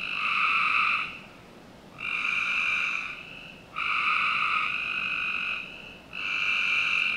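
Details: Backyard frogs in Northern Virginia on a summer night give sustained, flat trills, four bursts in seven seconds with brief quiet gaps between them, against faint low background noise.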